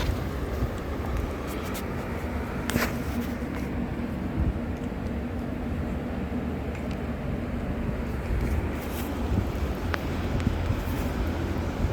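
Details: Continuous low vehicle rumble with wind noise and a few faint clicks, with no animal calls.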